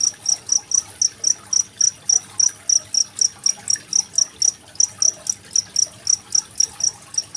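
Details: Cricket used as a training model for contest songbirds like magpie-robins, recorded 25 February 2023: sharp, piercing chirps pulse about four times per second, steady throughout, with quiet trickling water behind.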